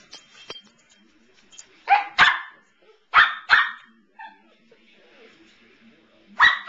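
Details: Evelyn the Samoyed barking while standing up to another dog, Pearl: loud sharp barks in quick pairs, two near the start, two more a second later, and a final burst at the end, with quiet rustling between.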